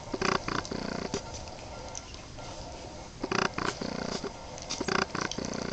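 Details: Boston Terrier puppies, 23 days old, give short, squeaky, grunting bursts in small clusters near the start, around three and a half seconds and again toward the end, with quiet rustling between them.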